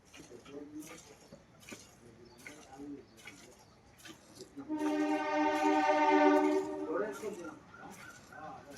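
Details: Jafarabadi (Dhullaya, Jafra) buffalo at a market on the 14th, Bhogi festival day: one drawn-out, rich harmonic bellow of about two seconds rising out of a man's speech, which continues before and after.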